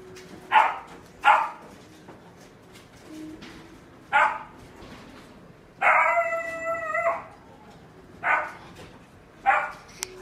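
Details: Mixed-breed female dog, black-and-tan and white, born 22 May 2019, in a pet shop; a run of short, evenly spaced barks broken by one drawn-out, steady howl about a second long with clear harmonics, then more barks.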